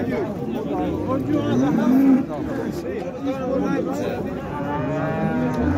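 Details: At the Şarkışla livestock market's large livestock section, 24 February 2024, cattle give a short rising moo midway through. Further low lowing follows later, over constant market chatter and background voices.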